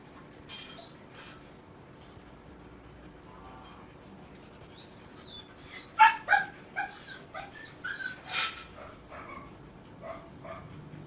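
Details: Siberian Husky from a stud-service kennel. After a quiet start, a burst of high, wavering whines and sharp yips repeats rapidly for several seconds, then fades into softer scattered whimpers against light room noise.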